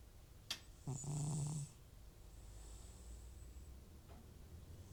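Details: Elderly cat Butcher, FIV positive and snoring when off medication for nasal symptoms, produces one drawn-out, rattling snore in his sleep, preceded by a brief click and followed by quiet breathing.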